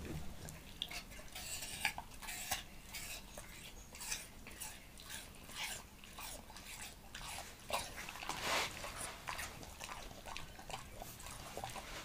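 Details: Montana, a Leonberger dog, eating an apple indoors: a dense run of sharp, crisp crunches and bites with short wet clicks in between and one louder snap near the end.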